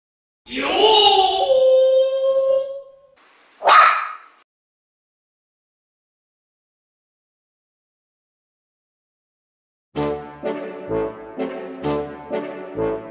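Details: Mame Shiba puppy, a male from the Housansou breeder in Japan, gives a high, wavering whine with bright harmonics, a short second yelp, then after a silence a run of short repeated clicking or tapping sounds.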